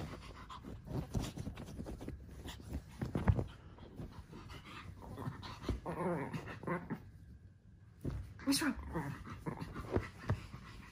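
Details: Several Japanese Chins playing together on a tower of cushions: rough, scuffling dog huffs and low growly grumbles, with a wavering growl-like stretch midway, a short quiet gap, then more bursts, under frequent human voices.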